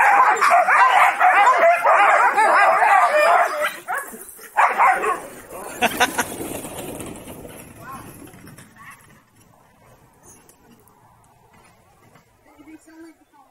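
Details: Excited huskies in Rovaniemi, Finland, eager to pull a wheeled summer sled; a loud chorus of overlapping barks and yips fades after a few seconds, leaving quieter distant noise and some voices.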